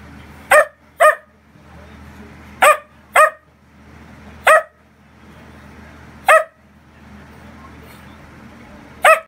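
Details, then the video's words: Bossy dachshund barking indoors in protest at people leaving or getting up: seven loud, sharp barks, mostly in quick pairs, spaced over nine seconds with short quiet gaps of low household hum between them. "Wiener dog has a lot to say"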